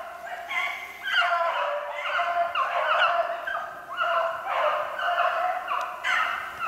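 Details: Hunting beagles chasing snowshoe hare, dated 3/8/16: a steady chorus of howling bays, each drawn out and slightly falling, stacked over one another from several hounds in quick succession.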